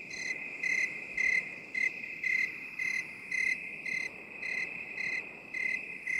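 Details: Crickets, binaural 8D relaxation recording: a thin, piercing trill holds steady while clear bright chirps pulse evenly, close to two per second, over a quiet hissing backdrop.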